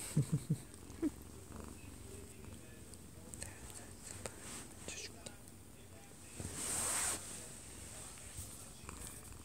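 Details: A 1-year-2-month-old odd-eyed Munchkin cat purrs in a soft, steady low rumble while falling asleep in its owner's arms, air-kneading, with a TV playing and quiet voices nearby.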